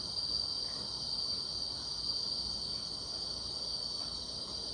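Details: Short stretch of grass insect song on a summer night, an even, piercing high trill with no pauses, layered over quiet outdoor hiss.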